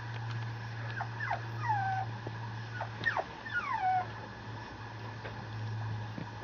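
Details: Male Mame Shiba Inu puppy at a breeder in Japan giving a few high, whining whimpers that slide downward, spaced about two seconds apart, over a steady low hum.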